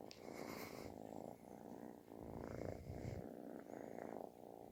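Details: Loud snore-like purring of a kitten looking for affection, steady rough pulses in breath-length phrases with a brief higher squeak at the start.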